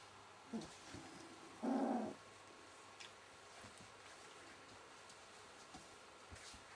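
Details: Welsh Springer Spaniel puppies, 19 days old: a single short tonal whine lasting about half a second, steady in pitch, over a quiet indoor hiss with soft rustling and a few faint squeaks.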